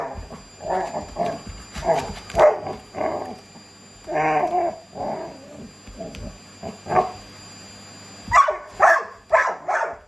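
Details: A Labrador Retriever worked up by a vacuum cleaner, playing vacuum battle with a Shiba Inu: rough, throaty barks and growls in rapid clusters of two to four, a short lull, then a fresh flurry of harsher yaps.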